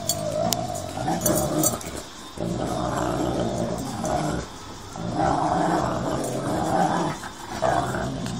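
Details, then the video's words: Staffy and husky fighting on a building site: continuous low harmonic growling and snarling in long bursts with brief pauses, rough throaty noise throughout. "staffy vs husky building site brawl"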